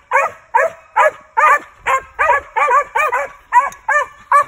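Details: A male Original Mountain Cur squirrel dog named Rush, born 2019 and being trained to tree: evenly spaced bright barks, roughly two and a half per second, each a rising-then-falling yelp.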